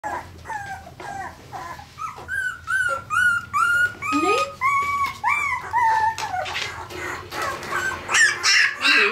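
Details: Parson Russell Terrier puppies indoors in Tampere, Finland, recorded on a Sony FDR-AX100, giving a rapid stream of high whining yelps and squeaks, many bending up then down, roughly two or three per second, in a small room.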